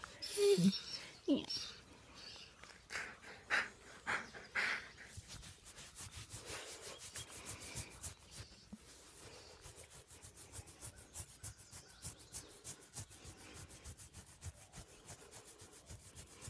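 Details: A very happy wolf panting in quick, steady rhythmic breaths, soft and breathy, with a few louder huffs and a human voice near the start, then a long run of even panting.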